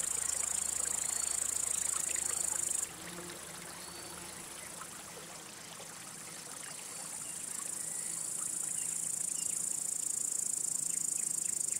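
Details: Male crickets rubbing their wing covers to attract or court females or drive off rival males; a steady high, hissing trill that drops out after about three seconds and then swells back in more loudly toward the end.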